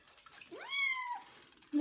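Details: Kitten Joe, a young domestic cat getting his first bath before moving to a new home, gives one clear meow that rises then holds level with bright harmonics, nearly a second long, with faint background noise.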